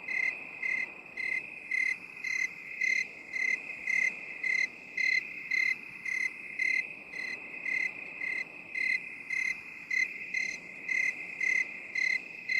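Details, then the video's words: Cricket calling in 8D binaural audio, long series of rhythmic high chirps near two per second, slightly uneven in loudness, with a persistent high drone and low hiss underneath. "8D CRICKET SOUND"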